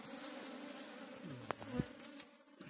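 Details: Honey bees in Maasin City, Barangay Santa Rosa: a steady low droning hum with layered tones, continuous throughout, broken by a few brief knocks and a short sharper sound near the middle.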